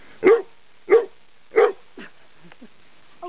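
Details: Chesapeake Bay Retriever, intrigued by a large black snake, gives three sharp barks evenly spaced about two-thirds of a second apart, followed by quieter whines and faint sounds.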